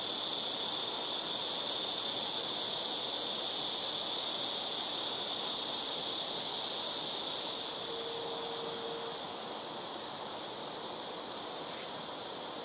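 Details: ['Several blackish cicadas calling noisily from rooftop trees at a home, switching between nearby trees; a piercing continuous buzz dominates, easing in volume midway, with a brief low steady tone near the end.']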